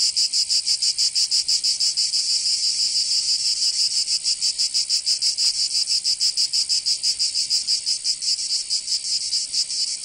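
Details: Cicadas of Provence, southern France, in summer: an intense high metallic buzz chopped into quick regular throbs, around three per second, the pulses softening slightly toward the end.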